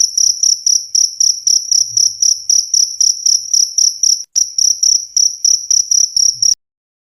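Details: Cricket calling, played to chase off rats; loud high pulsed chirps about four per second, one short gap midway, then the chirping stops abruptly before the end, leaving silence.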